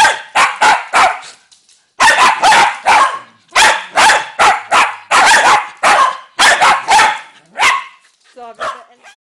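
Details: Series of loud dog barks in quick clusters separated by short pauses, ending with a softer, higher whining yelp.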